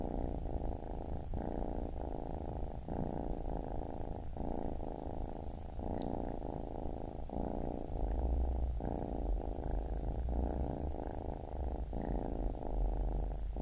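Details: Low rumbling purr of a baby kitten, rhythmic phrases lasting about a second divided by short breath gaps, constant and calm with a couple of tiny clicks in the background.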